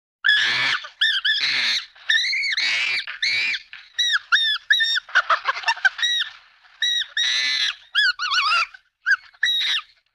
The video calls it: Sound Ideas, CHIMPANZEE - CHIMP SCREAMS AND CHIRPS, ANIMAL, APE